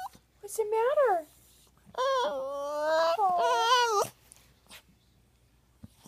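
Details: Indoors, a poodle named Buddha cries in a short rising-and-falling whine, then a longer sustained wail with wavering pitch, followed by quiet.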